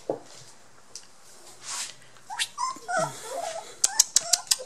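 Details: Border Collie puppies, 23 days old, blue merle and black-and-white, giving short high whimpers and squeaks indoors, with rustling, a brief rising cry and a quick run of sharp clicks near the end.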